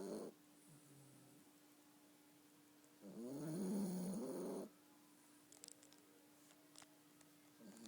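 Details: A sleeping Yorkshire Terrier snoring indoors: one long, rough, rasping snore lasting about a second and a half, with a steady faint hum and soft clicks around it.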